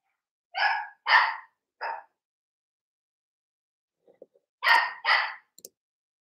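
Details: Playing Cavalier King Charles Spaniel puppies, raised indoors in a home pen, give sharp, high puppy barks: three quick yaps, a pause with faint scuffling, then two more strong barks.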